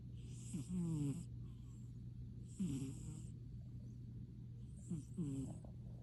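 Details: Exhausted little kitten deep asleep after playtime, giving three throaty snores a couple of seconds apart, each a rough drawn breath, with a constant low background hum.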